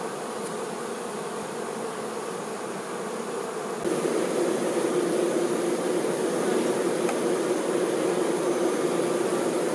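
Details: Honey bee workers looking after the queen, a steady massed buzz that suddenly grows louder and slightly deeper about four seconds in, then continues as a strong even drone.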